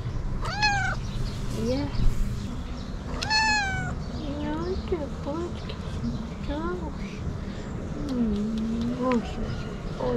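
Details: Fluffy-tailed calico cat asking for food, giving a series of rising-falling meows, some bright and high, others short low chirps, with a person talking softly in between.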